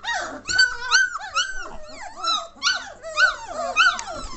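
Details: German Shorthaired Pointer puppies aged three weeks, lively and noisy, make a steady run of shrill whimpering squeals and little yelps, bending up and down in pitch, several pups calling over one another indoors.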